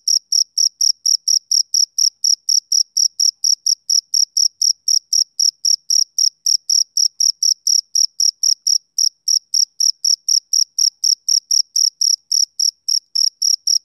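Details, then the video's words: Continuous male cricket chirps, thin and high, at about four per second in a regular, metronome-like pattern, with no background noise. "Cricket Chirping Sound Effect"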